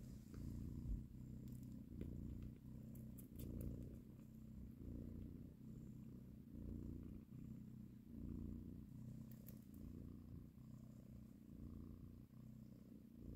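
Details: Low rumbling purr from a mother cat as she breastfeeds and caresses her kittens, swelling and easing in a steady breathing rhythm about every one and a half seconds, faint ticking noises overhead.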